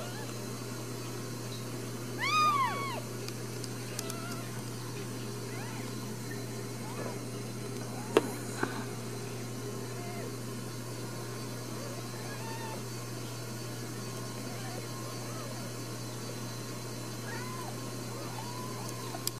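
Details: Ragdoll kittens raised indoors without cages at a cattery in central Kansas; a few high, arching mewing calls around the third second, then faint scattered mews over a steady low hum.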